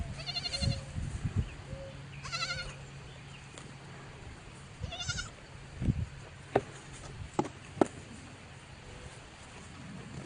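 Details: Baby goat on a farm giving three short, high bleats with stacked harmonics, spaced a couple of seconds apart, over a steady low hum with scattered knocks and clicks.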